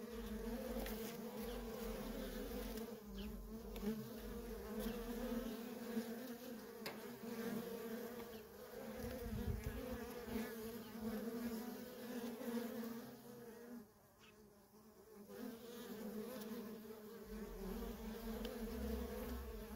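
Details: Worker honey bees in nonstop traffic at a feral colony: a dense, steady droning hum with a low fundamental and a strong overtone, swelling and dipping slightly, briefly quieter near thirteen seconds.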